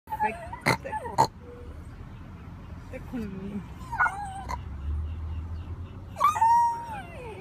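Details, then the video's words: Puppy crying with thin, high whimpers that rise and fall, likened to a little pig, in short bursts with gaps between; a person speaks in Spanish nearby. "Puppy crying like a little pig"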